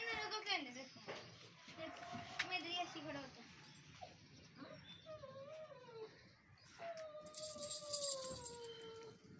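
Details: Husky puppy in Lahore, Pakistan, letting out long, mournful howls that drift slowly downward in the second half, overlapping with lively Hindi chatter and children's voices in a small room.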